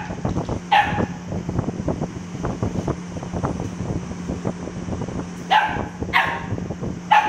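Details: Cute dog barking: one single bark early, then a quick run of three barks near the end, over a busy background of clatter, rustling and a constant low hum.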